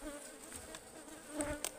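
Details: A swarm of honeybees hums continuously during a wild Ligwan beehive harvest in the forest, the droning tone layered in steady bands, broken by brief knocks and rustles of handling.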